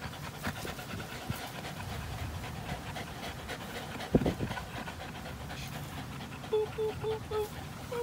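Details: An American Pit Bull Terrier and a Belgian Malinois cross playing together, recorded April 21, 2019. Fast breathy panting continues, broken by a sharp thud midway, then short high whining tones near the end.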